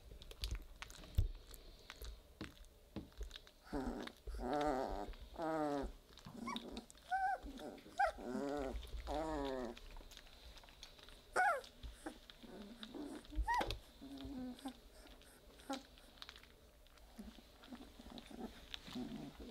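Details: Weimaraner puppies at three weeks old growl as they play together, giving a run of short harmonic, wavering grumbles packed closely between four and nine seconds, then scattered softer squeaks and light thumps of movement.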